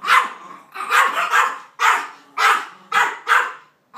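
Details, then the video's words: Peyton Manning, a Maltese reacting crossly to a tall cardboard cutout of two dogs, gives six loud, harsh barks, some doubled, spaced about half a second apart. "Maltese named Peyton Manning in a bad mood"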